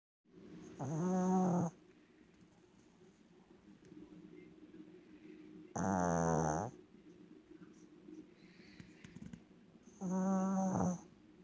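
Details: Pet dog sleeping indoors, snoring. Three loud, harmonic, rasping snores, each lasting about a second, come roughly every four to five seconds, with quiet breathing in between in a small room.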